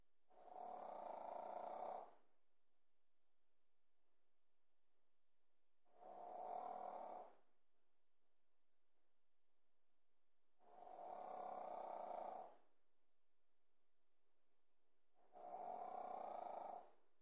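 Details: Sleeping Pekingese puppy snoring: four rasping, pulsed snores, each lasting about one and a half to two seconds, spaced roughly every five seconds, with near silence between breaths.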